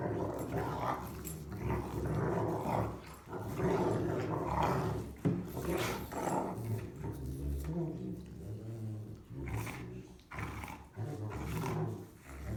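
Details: Young German Rottweilers at play-fight, three pups growing up together, producing continuous low throaty growls in uneven waves roughly every two seconds, mixed with snorts and shuffling.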